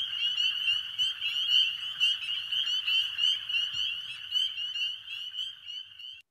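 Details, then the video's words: A dense chorus of spring peepers on a warm, rainy spring night, many high, piping peeps overlapping into a continuous shrill ring. "hopefully you just heard the sound of spring peepers, and that's my favorite sound of all time."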